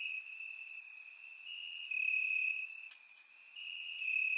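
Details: Crickets in Bulgarian grassland on a warm summer night, surround recording; a high steady trill with slight pitch steps, overlaid by a few quick bright chirp bursts in this short stretch.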